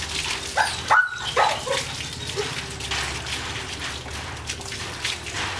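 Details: German Shepherd x Labrador dog at bath time gives a few short, high, rising-and-falling whines in the first two seconds, then water splashing and running-water noise carry on under a steady low hum.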